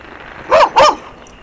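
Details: Dog barking during fireworks, a neighbour's dog barking in the background while the pet dog Pluto investigates the noise; two short, sharp barks in quick succession, then quiet.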